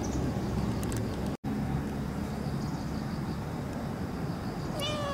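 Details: Pero-chan, a cat that shows up to drink milk, recorded 26 September 2015 near the equinox, evening of moon viewing; one short harmonic meow near the end, rising then levelling, over a steady low rumbling background.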